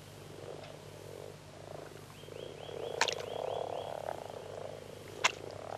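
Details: Common frog males gathering at peak mating season in shallow, plant-filled water near the shore, joining a chorus to find mates: continuous low grumbling churr that swells midway, two sharp clicks near three and five seconds, faint high chirps.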